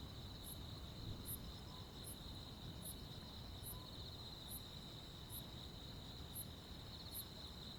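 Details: Summer-night crickets and insects in rural countryside: an unbroken shrill trill with regularly spaced, very high chirps every 0.8 seconds or so, above a faint low hum.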